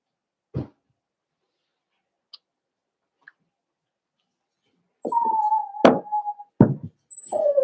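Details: Cavalier King Charles Spaniel puppies, four weeks old, indoors in a puppy pen during socializing and feeding, let out a level, sustained whine broken by sharp knocks and thumps, with a falling whimper closing the passage.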